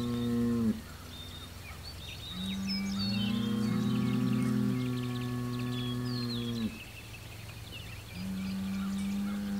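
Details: Bellowing from the Hereford bull Homebrew as he faces neighboring bulls: another Hereford across the road and an Angus, both within 100 yards, June 17, 2023. Long, deep, drawn-out bellows, each lasting several seconds, with brief gaps. Songbirds twitter in the background.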